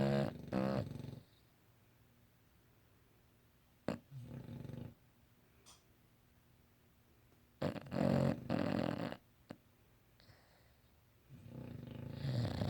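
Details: English Bulldog sleeping and snoring: rough, low rattling breaths in bursts, several loud snorts separated by quiet pauses of a few seconds, in an indoor room.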